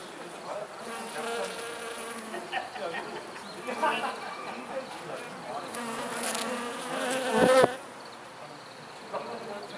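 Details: Japanese honey bees swarming on cherry blossoms in full bloom in Niigata, Japan, on a warm spring day, 15 April 2020; a steady dense hum of many wings with shifting pitch, swelling loudly near the end before easing.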